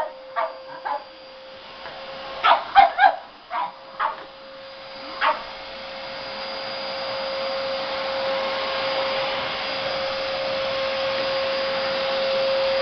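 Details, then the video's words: Chinchu the pug, frightened of a vacuum cleaner, lets out a burst of quick, sharp barks in the first five seconds. Then a loud, steady vacuum roar starts and swells, drowning out any further sound from the dog. "Pug scared of vacum cleaner"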